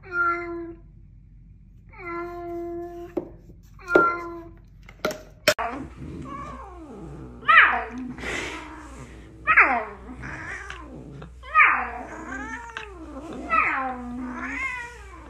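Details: Domestic cat in a funny pet compilation, giving a series of meows and caterwauls roughly every two seconds, some drawn out and falling in pitch, with a click and speech-like voices mixed in.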